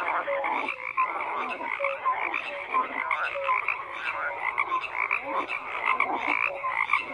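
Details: Frogs in full chorus, a steady wall of grating croaks broken by short, clear tonal notes repeating about every second.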